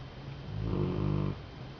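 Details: A sleeping Golden Retriever snores with a low, rumbling, rattling breath lasting under a second.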